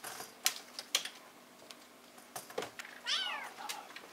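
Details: Silver spotted and marbled Bengal kittens indoors, 19.12.14: after sharp tapping clicks, one clear rising-falling kitten mew near the end, with faint rustling around it.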